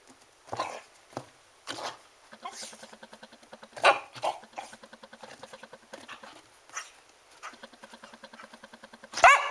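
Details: Border Collie cross hunting imaginary mice it believes are under heat-bubbled rubber mats, a technique it uses on mice in snow banks; excited whining and short barks with a rapid pulsed rhythm, a person urging it on.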